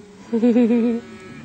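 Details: Single short moo from cattle being driven to spring range, a wavering harmonic bellow lasting under a second.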